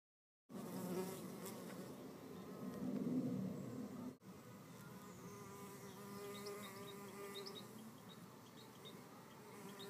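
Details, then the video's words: Red mason bees fighting to hold a nest cavity; after silence a loud rasping buzz swells, breaks briefly, then settles into a steadier wavering hum with faint high bird chirps in the background. "Red mason bees-the fight"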